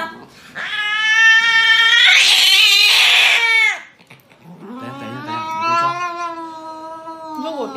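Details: Domestic cat getting an injection lets out a loud, drawn-out wail rich in harmonics, then a lower, wavering cry after a short pause; people talk nearby.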